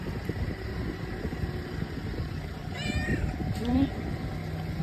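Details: Stray female cat on a city street, excited to greet the person who feeds her every day, gives a brief rising-falling meow amid steady traffic rumble and some voices.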